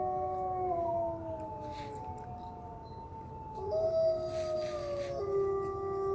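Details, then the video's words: Several wolves howling in a wildlife sanctuary, sustained smooth tones layered at different pitches, one voice stepping upward midway while others hold steady or drift lower. "Wolf Calls"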